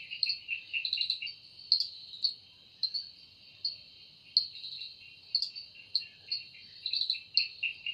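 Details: High, shimmering insect drone from a cicada in the forest at evening, broken by clusters of rapid ticking, rasping pulses that come in irregular bursts over a steady buzzing bed.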